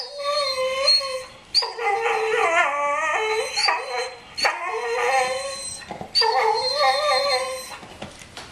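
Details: Pet dog whining out of jealousy over another dog's bone: a run of wavering, howl-like whines that bend up and down in pitch, several per second, with brief breaks between bursts.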